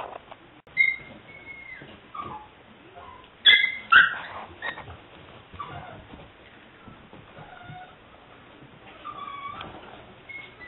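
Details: Female English Springer Spaniel puppy at seven weeks, liver/white tri-color, recorded 5/18/09. Produces thin whining squeaks and a louder cluster of strained yelps near the middle, then soft drawn-out whines toward the end.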